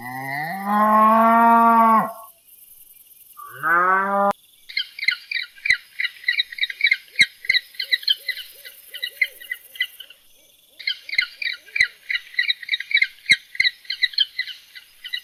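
A cow gives two drawn-out, rising and falling moos, followed by rapid high chirping.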